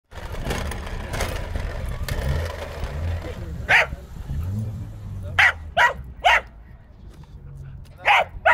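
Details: A Corgi confronting a remote-control car gives sharp, loud single barks, some in quick pairs, over the car's low motor whine.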